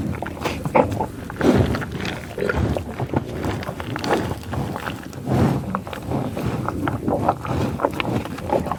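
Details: Grazing buffalo in tall grass prairie; rough low grunts, growls and nasal sniffling come in quick irregular bursts amid chewing and rustling sounds.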